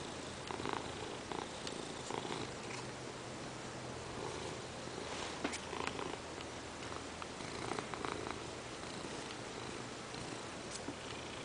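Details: Purring from Peanert, a Ragdoll cat that jumped onto a working lap to demand petting: a soft, sustained low hum with light rustles and small clicks throughout.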